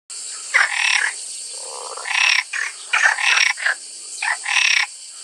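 A frog gives harsh, raspy croaks in short bursts, spaced irregularly, with a steady background hiss.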